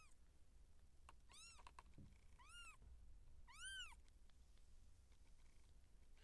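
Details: Seal point Siamese cat in feline labour, kittens being born: three clear arched meows at about one and a half, two and a half and nearly four seconds, plus a soft thump and faint clicks.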